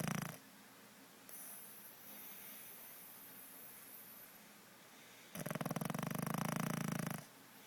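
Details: A pug snoring: a loud, rasping snore at the start and a longer, louder, rattling snore near the end, with quieter breathing between.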